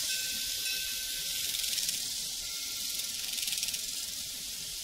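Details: On a prairie, a dense, hissing chorus of crickets pulses steadily, with one thin, unbroken high tone running through.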